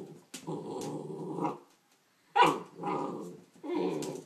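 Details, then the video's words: A Neapolitan Mastiff cross Pit Bull puppy gives low, rough growling barks at its reflection in a mirror, with short pauses between. "Puppy Neopolitian Mastiff x Pitbull bark"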